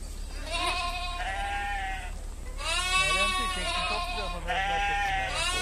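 A lamb gives three long, high, wavering bleats in quick succession.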